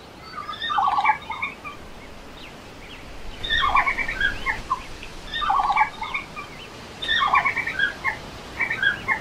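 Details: One of three red pandas gives bursts of high, squeaky twittering chirps, repeated every second or two.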